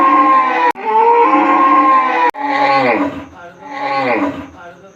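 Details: Repeated cow moos in a village, closely spaced and broken by sharp cuts. The first bellows are steady and full, and the later two are softer and falling in pitch.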